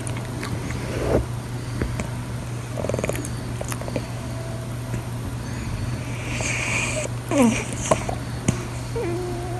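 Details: A male blue British Shorthair cat snores in deep sleep, with rough, rattling breaths over a low, steady hum; he purrs when his sleep is interrupted.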